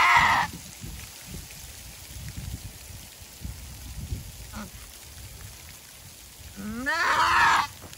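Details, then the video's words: Goat in labour with her first kid, a hard birth; a raspy cry cut off at the start, a short faint call near the middle, then one full rising, hoarse scream near the end over low background rumble. "Screaming goat giving birth"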